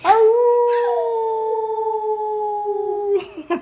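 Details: Pet dog named Pixie howling along as its owner sings: one long sustained howl holding a steady pitch for about three seconds, with strong harmonics, then breaking off into short yips and music at the end.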